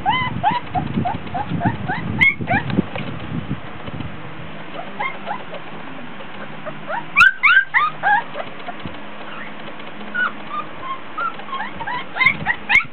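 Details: Young Border Collie puppies, 24 days old, playing in a whelping box and whining because hot and tired; bursts of squeaky whimpers at the start and again after a quieter middle stretch, with thumps and rustling.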